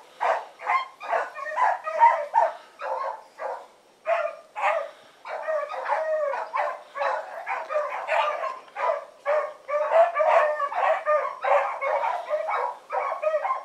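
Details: Evening run of a four-dog pack named Choco, Dino, Johnny Ringo and Mingo: dense, overlapping barks pour out almost without a break, several dogs calling over one another in a steady chorus.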